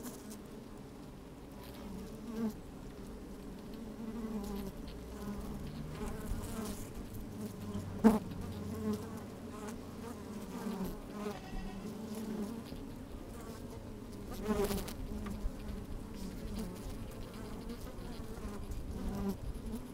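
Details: Honey bees at work in a hive opened on a sunny day with a little wind, microphone placed down among them: a long, low droning hum with faint pulsing buzzes and two sharp taps.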